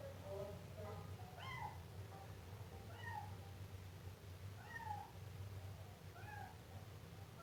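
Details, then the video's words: Siamese kitten repeatedly meowing, about five short, bent meows over several seconds, faint against a constant low rumbling hum and room noise. "Efeito sonoro de gato miando filhote siamês"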